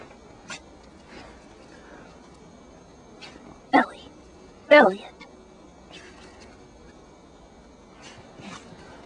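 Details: Jack Russell Terriers Abe and Elliot, pet dogs out on an adventure; two sharp, harmonic barks about a second apart stand out midway against a quiet background with faint clicks and soft rustling.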